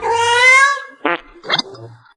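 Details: Pet cat giving one long, clear meow, followed by two short, sharp sounds and faint background noise.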